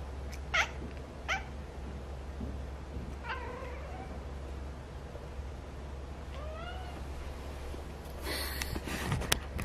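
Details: Mong, a neutered male Munchkin Napoleon cat born January 2018, meowing indoors in reaction to his owner sneezing. Two drawn-out, wavering meows come a few seconds apart, preceded by sharp clicks, with a burst of rustling noise near the end.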